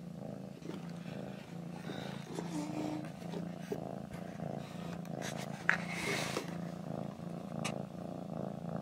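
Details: Small pet cat purring: a steady, low, rumbling purr runs evenly throughout, with soft rhythmic pulsing and a brief rustle or click partway through.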